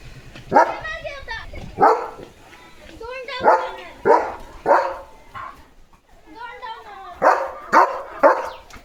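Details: Pet German Shepherd named Leo in a home courtyard, giving loud, sharp barks in uneven bursts, about nine barks with some doubled in quick pairs and short pauses between, with faint human voices in the background.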